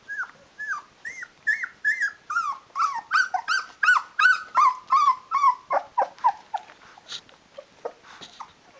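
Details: Rhodesian Ridgeback puppies, 16 days old with eyes open, calling their mother to feed them: a rapid series of high whimpering, whining squeals with rising-falling pitch, about two to three per second, several pups overlapping, indoors.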